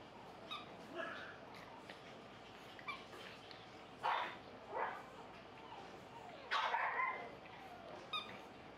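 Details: Playful male fawn Pug puppy with a soft light coat, giving short, squeaky, slightly whining yips in scattered bursts, a few close together, over a quiet indoor background.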